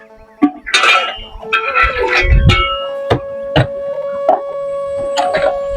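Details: Sharp knocks and clatters, as of objects being handled, sit over a steady tonal hum and brief voices. No animal calls can be picked out.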